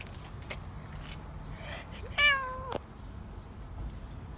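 A Siamese cat gives one loud, drawn-out meow that starts high and slides down, over a quiet background.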